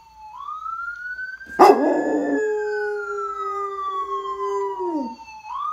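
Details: Dog howling in answer to a passing ambulance siren: a long, steady mid-pitched howl that slides downward at its end, set against the loud siren, which rises and then falls slowly throughout.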